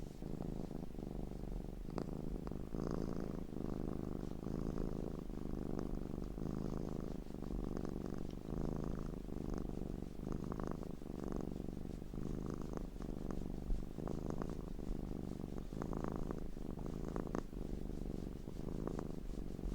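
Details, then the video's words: Domestic cat giving a long, unbroken low purr, looped, pulsing steadily with each breath in and out, dotted with faint clicks and snuffles. "Looped Cat Sounds"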